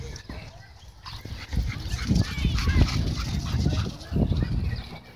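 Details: Dogs at a dog park where tension built after owners kept them leashed inside, leading to a dogfight: short rough barks and growly bursts cluster in the middle, tangled with people's voices and low wind rumble.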